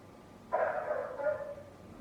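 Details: A single prolonged, rough bark from a neighbour's noisy dog. It starts abruptly and then trails off, heard against a quiet background hiss.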